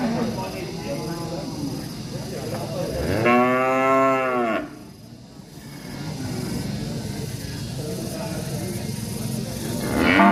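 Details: Village cow described as angry, giving one strong, drawn-out moo in the middle with a slightly wavering pitch, framed by faint lower lowing and steady background hum.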